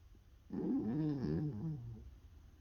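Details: Sleeping maltipoo snoring: one drawn-out, wavering, moaning snore lasting about one and a half seconds, low and tonal with shifting pitch, over a faint steady background hum.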